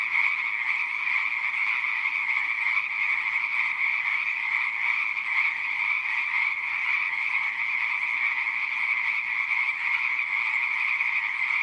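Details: Many frogs calling together in a pond, a steady wall of high, rattling croaks with slight pulsing in loudness and no pauses or other sounds.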